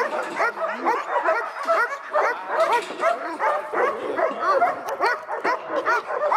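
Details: Excited dog barking, rapid high yelps repeated over and over and overlapping into a constant racket.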